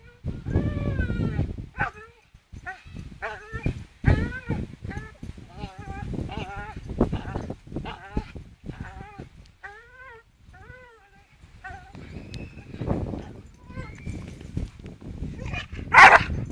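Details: Charlie the Staffordshire Bull Terrier swings on a rope while uttering rapid bursts of wavering whines and squeals, many in quick succession, mixed with rough grunting noise and a sharp loud cry at the close.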